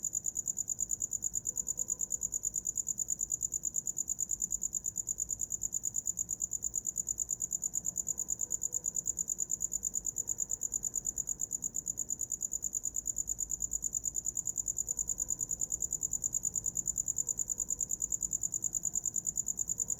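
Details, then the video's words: Continuous cricket chirping offered as a sound for sleeping: shrill, high pulses repeated roughly three times a second in an unbroken steady stream, with a soft low rumble underneath. "Som de grilo para dormir"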